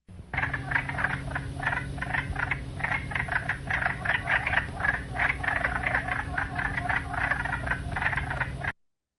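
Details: A chorus of wood frogs (Lithobates sylvaticus) gives dense, overlapping harsh clucks like ducks quacking, several each second, over a low steady hum; this quacking call is why they are nicknamed duck frogs.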